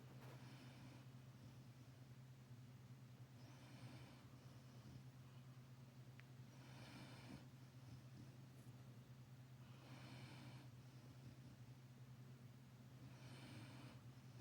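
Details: Labrador Retriever mother resting on her puppy, sleeping with regular hissing snore breaths about every three seconds, a constant low electrical hum underneath.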